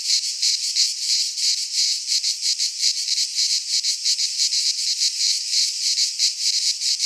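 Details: Greek cicadas in a pine forest at midsummer, producing an intense high buzzing that swells and fades in quick, somewhat irregular beats, with a faint click near the middle.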